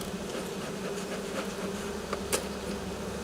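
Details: A Western honey bee swarm resting on the ground, calm while being collected and brushed, gives a loud, steady, low hum like a running fan.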